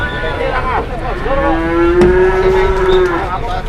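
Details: Market cattle in Indonesia, where a cow stirring up the crowd lies down and won't stand; after a short dipping call comes a sustained, slightly rising moo lasting two seconds, with scattered knocks and distant voices behind.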